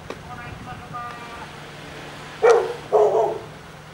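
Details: Great Pyrenees called Lala, nicknamed 'seal dog', reacting while on patrol: faint human speech first, then two loud, deep barks in quick succession near the end.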